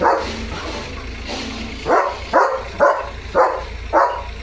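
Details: Leo, a German Shepherd, reacting to a tractor outside the home with a run of clipped barks roughly every half second after a brief quiet start, low vehicle hum underneath.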